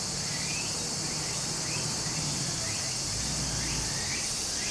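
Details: Loud, dense cicada buzzing on a summer day by a stream in Japan, one seamless shrill tone with faint rising chirps spaced about a second apart and running water murmuring below.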